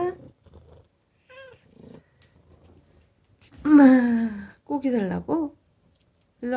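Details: Aegi ('Baby'), a formerly feral cat taken in as a dying kitten in summer 2018, now living indoors and said to say 'mom'. A short soft mew early, then a long drawn, wavering meow followed by two quicker meows, indoors.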